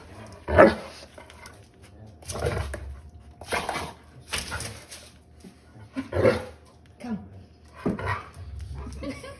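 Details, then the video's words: Belgian Malinois in the United States barking while challenging a lobster: short, rough, low bursts repeated roughly every one to two seconds, with quiet gaps between. "Malinois Dog Challenges a Lobster"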